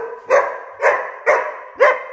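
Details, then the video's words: Naughty 19-week-old Giant Schnauzer puppy barking four times in quick succession, each bark sharp and loud, spaced about half a second apart. "Giant Schnauzer puppy (19 weeks old) being naughty"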